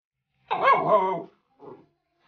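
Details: German Shepherd giving a single drawn-out, harmonic bark-like vocalization of under a second, followed by a brief softer grunt, with quiet all around.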